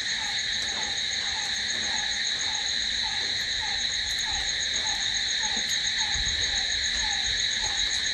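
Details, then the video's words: Continuous shrill cricket trilling fills the night, even and unwavering, over a quieter short note repeated steadily around twice per second. "Cricket sound"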